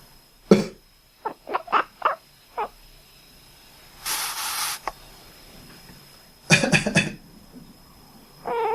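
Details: Domestic cat that responds to coughing and sneezing while resting. After a cough it gives five brief, duck-like chirps spaced about a third of a second apart. A sneeze-like burst and another cough follow indoors.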